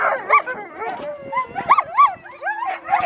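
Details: Alaskan Malamute female at sled dog training with her mother and other sled dogs, Farren Park, Ontario, Canada, 24 October 2020: wavering, high whining woos and yips rising and falling, several overlapping voices in quick succession.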